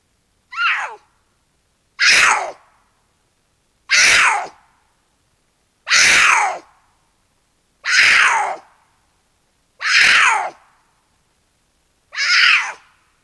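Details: At night in an Angeles National Forest canyon, two mountain lions seeking each other for courtship; seven raspy descending screams, evenly spaced about every two seconds, with silence between them.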